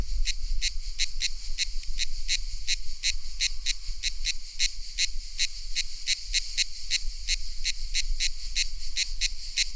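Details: A cicada's summer song in a tropical setting: sharp, high, buzzy chirps repeated about three times a second over a low rumble.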